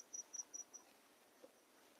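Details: Cricket chirping by day at a quiet, secluded rural cremation ground in Hooghly, West Bengal: four short, high, thin chirps in quick succession at about five per second, then a faint fifth, over soft background hiss.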